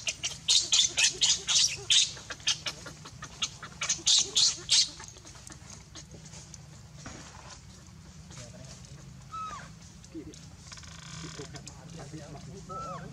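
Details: Baby monkey named Leo, hungry and crying to beg its mother for milk: a run of shrill, harsh screeching bursts repeated rapidly over the first five seconds, then quieter background with a few short rising squeaks and rustling.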